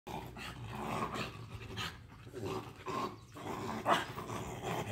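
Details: A Pomeranian and a Lhasa Apso, two small toy-breed dogs, trade rough, rattling growls and sharp snarling yips in quick, ragged bursts as they scuffle. A person speaks briefly near the end.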